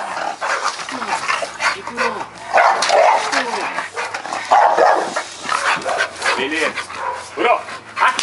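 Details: Campeiro Bulldog Kurô, loose in the yard after guard training, charges a provoking helper at the gate. Its rough, broadband barks come in bursts that rattle the gate, mixed with human voices throughout.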